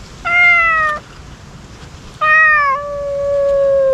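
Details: Loud, close meows from stray ear-tipped cats calling at feeding time: a flat, sustained cry lasting most of a second, then a longer one that dips midway and trails on steadily for nearly two seconds.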